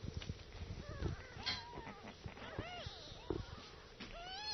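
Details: Several kittens nursing indoors give short, high, arching mews, each rising then falling, several overlapping in quick succession, with soft shuffling and rustling noises beneath.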